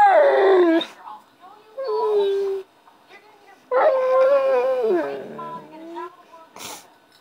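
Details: Pit Bull making funny noises: long wavering, howl-like whines with rising and falling pitch in two main bursts, a shorter moan between them, and a brief sharp noise near the end.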